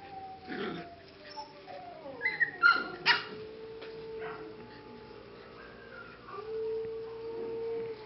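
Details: Young English cocker spaniel pups aged 6–7 weeks, kennel z Blatova, Czech Republic, crying in a cluster of loud sharp yips followed by drawn-out falling whines, while a steady mechanical hum runs throughout.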